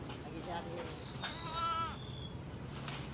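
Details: A sheep at feeding time lets out one clear, quavering bleat of about half a second, rich in harmonics, over a low rumble of background noise, with thin high whistles from other animals or birds nearby.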